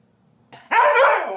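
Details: A sassy Siberian Husky named Titan yells at his brother: a loud, drawn-out vocal outburst, a brief low grumble rising into a wavering, howl-like cry lasting under a second.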